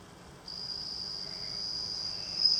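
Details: Home-reared bell cricket in Japan, hatched in June and now adult with white wings, singing beside the front door; after a short quiet start, a clear high ringing trill begins and continues steadily, growing slightly louder.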